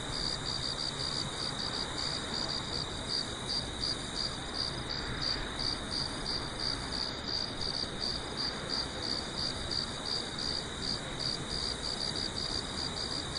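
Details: Crickets chirping on a farm at night with a full moon, sharp high notes repeating quickly and steadily, about three each second, over a continuous wash of low background noise.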